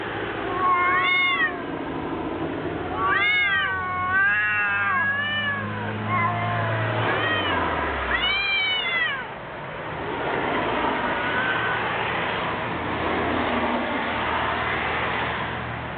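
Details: Two cats fighting: loud, wavering yowls and screeches with rising and falling harmonic cries in bursts over the first nine seconds, then a rough hissing, spitting scuffle, with low rumbling background noise throughout.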